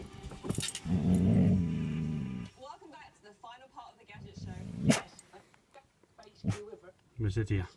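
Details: Laksa, a pet dog, growling from inside a caravan at a deer, the first one it has ever seen: deep, sustained rumbling growl for over a second amid people speaking and short sharp knocks.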